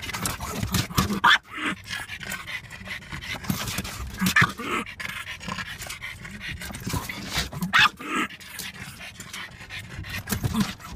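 A French Bulldog growls and pants in low, rough bursts, showing its dislike of windscreen wipers.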